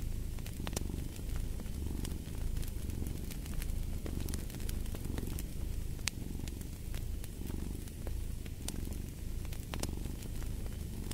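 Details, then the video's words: A cat purrs in a deep, even rumble, gently swelling in breath-paced waves about every two seconds, overlaid by frequent sharp crackles and pops from a fireplace. "the Purring of a Cat"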